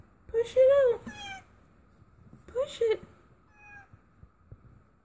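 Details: Domestic cat giving birth for the first time, uttering two drawn-out, arching meows about two seconds apart, each rising then falling, with a fainter short cry after and a person quietly urging her on in a small indoor room.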